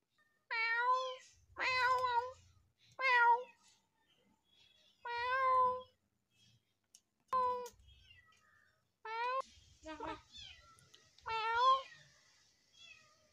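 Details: Fearful stray kitten meowing repeatedly, eight or so plaintive cries at uneven intervals, some short and clipped, others drawn out with a falling end, with soft handling noises and low thuds in the background.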